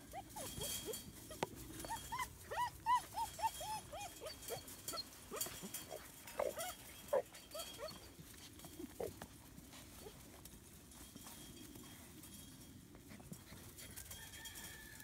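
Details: German Shepherd puppies almost 9 weeks old, born December 15, 2016, playing outside on Valentine's Day, February 14, 2017, in Florida: a run of high, arching whines and yelps in quick bursts over the first eight seconds, then quieter rustling.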